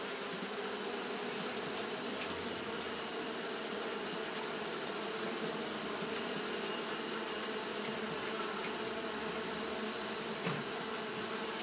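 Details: Japanese honey bees keep up their fanning behaviour on a hot day, giving a steady layered hum with a low drone and higher overtone. A couple of faint clicks sit over the unbroken buzz and high hiss.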